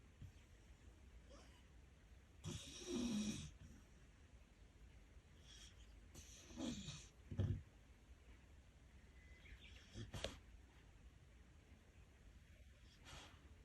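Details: Sleeping pet dog snoring loudly: three rough, rasping breaths at roughly four-second intervals, each a broad noisy burst with a low throaty rumble, separated by quiet room background.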